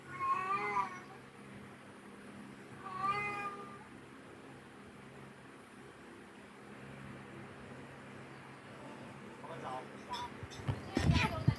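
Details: Cat meows used to attract cats: two harmonic, wavering meows near the start, then a long quiet stretch of low hum and a burst of louder broadband noise at the end.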